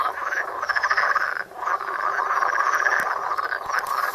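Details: Chorus of pond frogs filmed with a Samsung Galaxy Note, many callers croaking at once in a thick rattling wall of sound, briefly dipping near the middle before resuming unbroken.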